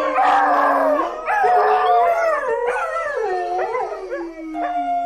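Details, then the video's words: Dog howling: several overlapping drawn-out wailing tones, some held steady and others sliding up and down in wavering bends, sounding like more than one voice at once, loud and continuous throughout. "Köpek Uluma sesi/dog Howling sound"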